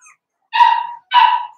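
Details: A pen of Daisy's Cavalier King Charles Spaniel puppies, four weeks old, indoors: two sharp, bright yelps about half a second apart, each short and tapering off, after a faint squeak at the start.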